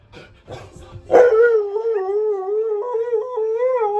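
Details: Keyush, a Siberian Husky, singing along to Queen's Flash: a few short broken yelps lead into one long, loud, wavering howl that dips and rises with small pitch steps.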